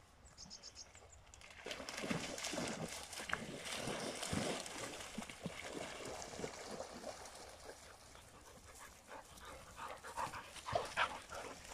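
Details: English Springer Spaniel. An English Springer Spaniel lets out a quick, irregular run of harsh, breathy barks, about three or four each second. A few thin high tones come just before the barking, with a faint outdoor background throughout.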